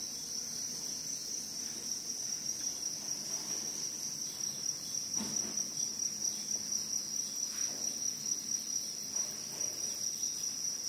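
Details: Crickets sustain a high, bright trill whose loudness begins to pulse in quick regular beats during the second half, over a faint low hum.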